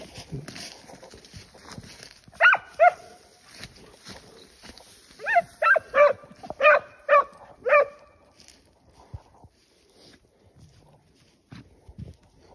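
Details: Scent hounds used as tracking dogs to flush out wild boar during a hunt, outdoors in the countryside: a pair of loud barks, then a rapid run of six barks, with a man's voice calling the dogs before and after.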